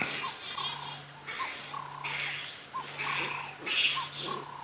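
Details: Chacma baboon, likely a young troop member being disciplined, gives harsh, shrill screams in a quick run of bursts over a low vehicle engine hum, during a sunset safari drive at Djuma Game Reserve, 28 November 2016.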